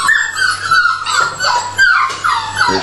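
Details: Several dogs at feeding time give high, wavering whines and yips that rise and fall in quick overlapping bursts, with a person talking in Finnish nearby.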